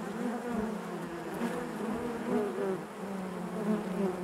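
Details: Dense colony hum from honey bees within the hive, a thick, even buzz with faint shifting tones weaving through it.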